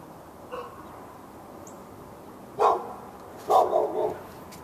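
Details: Dog behind a fence in Raleigh, NC, on February 15, 2012, barking at a neighbouring dog as part of a day-long habit; a faint distant bark, then one loud bark and a quick double bark after a pause.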